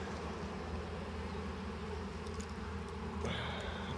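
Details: Honey bees at a hive being harvested, growing more upset as stuck frames are pried loose: a continuous low buzzing drone, with a thin high whining tone entering near the end.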